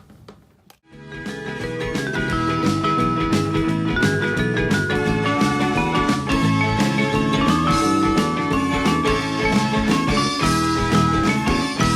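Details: Dense rock music with driving guitar and percussion begins after a second of near silence and continues steadily, with no animal voice anywhere.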